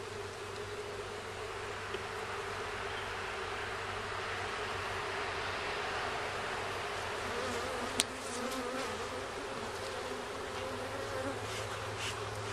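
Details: Dense, continuous droning of honey bees at their hive during a first check, where some comb was found and workers return carrying pollen. The low hum holds steady, broken by a single sharp tap midway.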